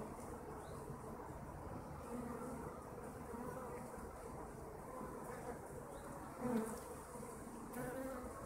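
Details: A steady drone from kept honeybees, low and even, with a sharper, louder buzz from a single bee passing close around six and a half seconds.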